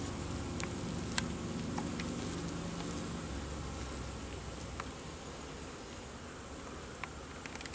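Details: Honey bees in North Carolina: a low, steady droning buzz with layered humming tones, strongest over the first three seconds, then softening, with scattered faint clicks and ticks above.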